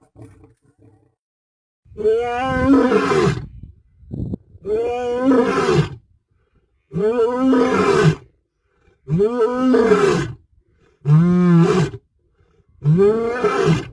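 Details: African lion roaring in Africa: a series of deep, drawn-out moaning roars, each about a second long with a rising then falling pitch, repeated roughly every two seconds with short silent gaps between them.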